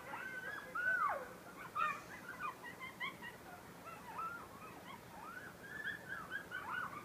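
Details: Several coyotes howl together in a beach forest at Station 26 1/2, Sullivan's Island, South Carolina, voices rising, falling and quavering over one another, with short yips and broken barks scattered through the swelling, fading chorus.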